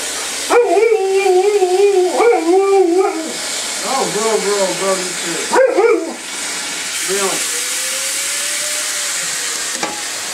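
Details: Cleo, a 4-year-old Alaskan Malamute, 'talks' in several warbling, howl-like bursts with wavering pitch over about six seconds. A short rising moan and a faint drawn-out tone follow over a steady background hiss.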